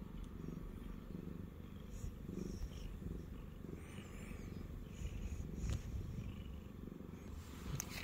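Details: Purring Siamese cat, Shamue, resting on a person's belly: continuous low rumble pulsing about four times per second, with a few soft clicks and rustles of fur against clothing.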